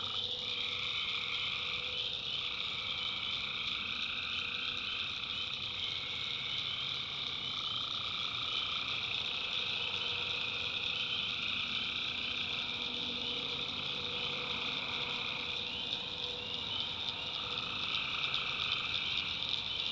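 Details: A swamp at night in the North Carolina backwoods fills with tree frog calls: overlapping rasping trills form steady high bands, with brief shorter notes popping out around the early and late seconds, all without pause.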